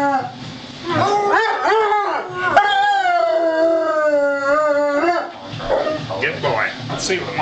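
A Weimaraner howls on cue, a long sustained tone with wavering, sliding pitch.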